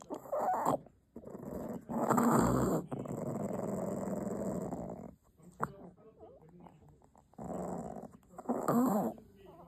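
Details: Puppy protecting its chew treat, a strong possessive streak in its nature, gives a long sustained rumbling growl lasting about three seconds, then quieter broken growls and a final short burst, music faintly behind.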